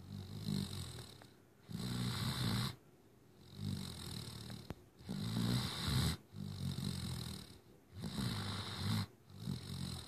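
A Great Dane puppy snores in deep, rumbling breaths, each lasting about a second with short quiet gaps.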